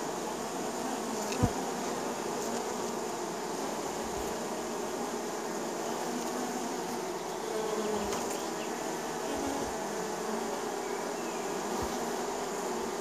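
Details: Honey bees kept by a neighbor, buzzing as they land at their hive in spring: a steady, dense droning hum of many bees with layered low tones, a brief sharp tap near the start and faint high hiss throughout.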